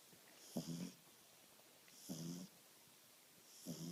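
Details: Two-month-old French Bulldog puppy named Dexter asleep and snoring, giving short snorting, nasal rasps about every one and a half seconds, low and buzzy, over a faint room hiss.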